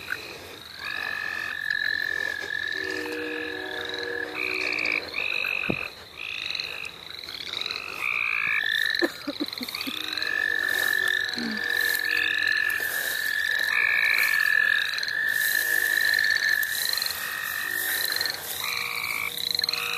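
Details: Frog chorus at the St. Olaf College Natural Lands, with overlapping long level trills and many short upslurred chirps repeating rapidly, several callers at once and continuing for twenty seconds.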